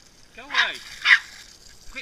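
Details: Norfolk Terrier playing with water gives two short, high yelping cries that rise and fall, then a third fainter one near the end, with a splashy burst between them and a person urging it to go get something.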